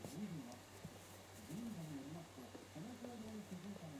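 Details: Shiba Inu puppy, roughly five days after arriving, that cries through the night after lights out. Four or five short, low, arched moans, each slightly wavering, come over about four seconds in a hushed indoor setting.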